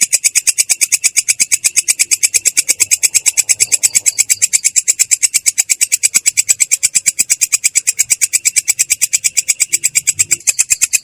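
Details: Continuous rolling ngerol of a belalang kecek katydid, a clear but rough sound: rapid, regular metallic-buzzy pulses at a steady pace and loudness from start to finish.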